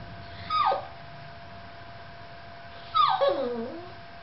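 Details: Yorkshire Terrier alone with the camera utters two high yelping whimpers a few seconds apart. Each starts high and slides downward, and the second trails into a lower whine. A faint constant hum is present.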